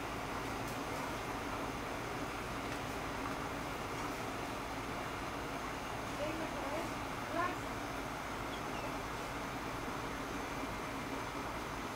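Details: Constant outdoor traffic rumble and distant murmur, with no barking or other animal voice heard.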